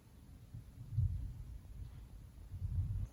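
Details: Mouse, a pet female cat, naps at home beside her owners, snoring as she sleeps and dreams: two soft, low rumbling snore breaths about one and a half seconds apart over a quiet indoor background.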